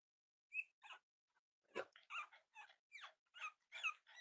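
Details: Indoors, Cavalier King Charles Spaniel puppies play with each other, giving a string of sharp, squeaky yips roughly every third of a second, with one brief thin whistle-like squeak near the start.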